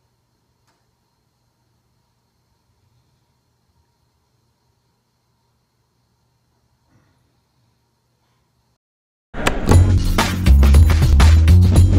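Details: Near silence with a faint hum gives way to loud music in the last few seconds, and no animal sound appears.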